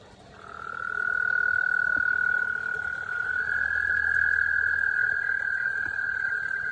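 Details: American toad; breeding trill; breeding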